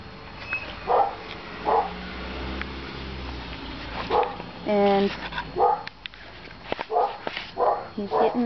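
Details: A male Alaskan Malamute puppy, five and a half months old, gives short, tonal woo-like yelps in bursts about once a second, with one longer harmonic cry in the middle, while a person speaks nearby indoors.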